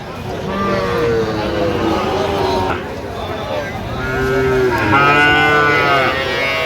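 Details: Sahiwal bull calves at a cattle market, 3 October 2025; several nasal moos rise and fall across the stretch, overlapping men talking and bargaining nearby.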